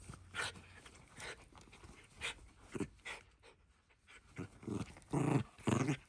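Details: Pet Shiba Inu playfully attacking a glove with teeth and front paws; soft panting huffs repeated roughly twice a second, ending in two louder grumbling growls, with handling noise throughout.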